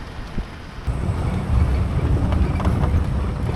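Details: Low rumbling vehicle engine and wind buffeting on the microphone, growing louder after the first second, with no animal voice.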